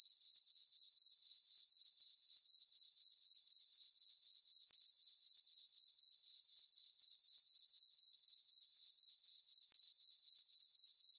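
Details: A chorus of crickets on a farm meadow at night in summer under a full moon: an unbroken, piercing high trill pulsing steadily about four times a second across the whole stretch, nothing else audible.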